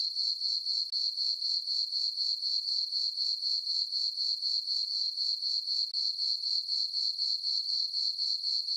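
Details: Crickets at night in a farm meadow under dark skies and a full moon give a bright, even, pulsing chirp near four beats a second, unbroken, with no other sound.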